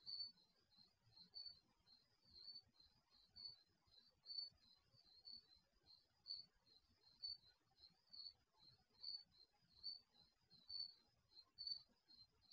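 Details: Crickets at night, picked up by the microphone of an HD security camera installed in a garage: a steady run of short, high, bright chirps in quick pulses, about one a second, over a faint low rumble.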